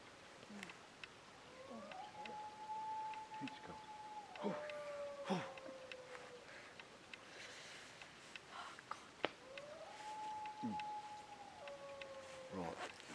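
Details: Wild dog howling from a ridge near camp at 2am on a -3 degree July night: two long, steady, sustained howls that hold level and then slide lower, faint and distant, with quiet human voices and rustling close by.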